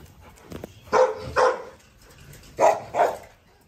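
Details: Pregnant female Rottweiler, 46 days along, confronting a rival dog that provoked her; two pairs of short, gruff barks about a second and a half apart, with quiet room noise between.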